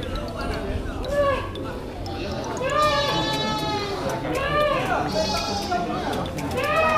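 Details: Goats at the Srengat animal market in Blitar, Indonesia, where a fullblood Boer goat is brought in for weighing; several wavering bleats rise and fall among crowd chatter and speech.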